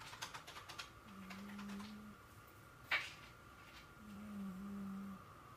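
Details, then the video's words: Jinx, a female pet cat, snoring while asleep: two drawn-out, low humming snores, each about a second long and roughly three seconds apart, quiet overall, with soft tapping clicks at the start and one sharp click between the snores. "My Cat Snoring"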